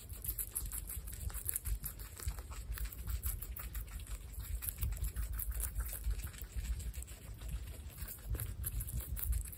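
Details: Five baby guinea pigs, Olive, Salt, Sonic, Sugar and Pepper, feeding together: steady rapid crunching and munching clicks overlapping throughout, with occasional rustling and a low background hum.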